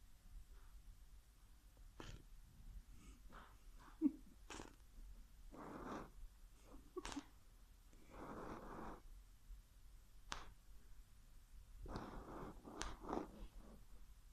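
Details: A sleeping whippet snores, lips flapping: irregular soft puffs and longer rasping breaths, some bursts lasting about a second, in a quiet indoor setting.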